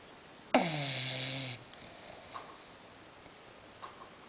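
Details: Budha, a female English Bulldog, snoring while asleep as her owners try to wake her; a single drawn-out, nasal, droning snore lasting about a second with a slightly falling pitch, then quiet room with faint ticks.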